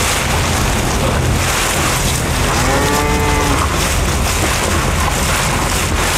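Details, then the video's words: Bull cattle feeding on elephant grass: one fairly faint, drawn-out moo with a slightly arching tone in the middle of the stretch, partly buried under constant broadband noise and low rumble. "SUARA SAPI JANTAN MAKAN RUMPUT GAJAH 30 MENIT | SUARA SAPI MOO"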